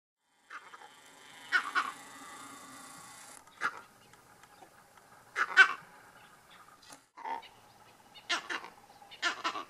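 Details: Monkeys give harsh, barking alarm calls in irregular bursts after spotting lions about 100 m away.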